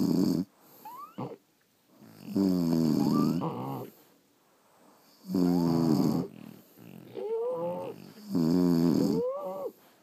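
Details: Sleeping French Bulldogs snore in a steady cycle, loud raspy rumbles roughly every three seconds with squeaky whistling overtones rising at the end of each breath, quiet gaps in between.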